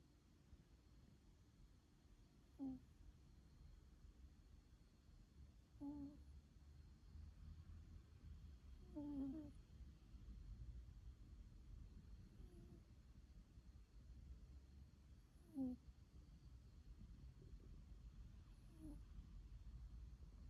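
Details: A cat snores while asleep: a steady low rumbling breath with short nasal snorts recurring roughly every three seconds, quiet indoors with no other clear sounds.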